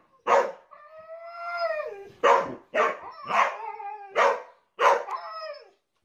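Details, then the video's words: A talkative Husky gives five or six vocal bursts, roughly one every second. Each starts with a harsh bark-like onset and trails into a tonal, slightly falling howl, with a brief longer moan after the first. "Funny Husky Videos Talking"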